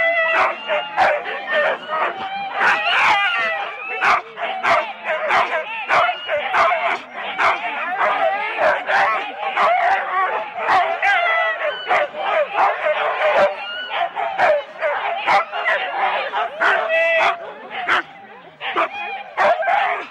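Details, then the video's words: At Rendlesham in January 2016, Husky sled teams of four dogs at the race start keep up an unbroken din of barks, yips and whines from many animals, sharp repeated barks punctuating it, with people talking among the dogs. "4 dog Husky teams - the complete start"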